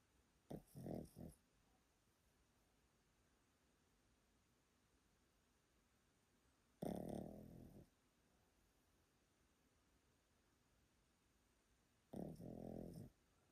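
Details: Elderly Pomeranian Yotaro, a relative's dog in Japan, sleeps and snores loudly: three rough, low grating snores spaced roughly six seconds apart, each lasting about a second, with quiet breathing between in a small room.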